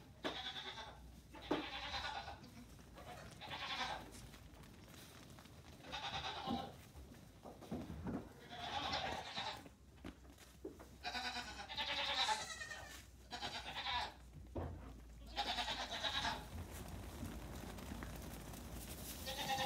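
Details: Many Nigerian Dwarf goat kids, 3 days to 2 weeks old, let out on a farm in the morning while their mothers eat grain; overlapping wavering bleats come in bursts every second or two, with some human voices.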